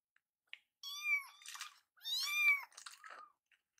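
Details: Rescued baby kittens in foster care indoors, one of them Yuzuru, noted for crying a lot: two drawn-out rising-then-falling meows with bright harmonics, each followed by softer rustling or chewing noises.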